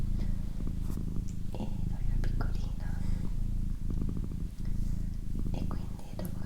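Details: Female domestic cat purring, ASMR style: a warm low rumble interrupted by short gaps roughly every 0.6 seconds as she breathes, with gentle human whispering and occasional clicks on top.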